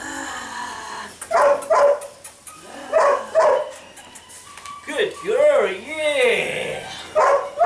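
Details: Mika, a sable female pup of eight weeks, yaps in short high pairs, then breaks into a wavering, rising-and-falling howl-like whine before one more bark; faint voices in the background.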